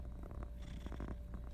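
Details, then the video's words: Domestic female cat purring while showing affection to her owner with slow blinks; a steady low rumbling purr fills the short stretch, with soft pulsing texture and no other clear sounds. "Purring kitty "says" I love you by slow blinks"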